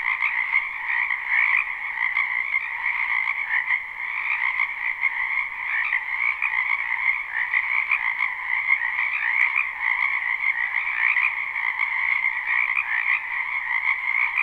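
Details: Frogs massed in a spring wetland, captured live with no looping, keep up a seamless croaking chorus: rapid overlapping trills humming in a mid and a higher band, evenly loud throughout, nothing else audible.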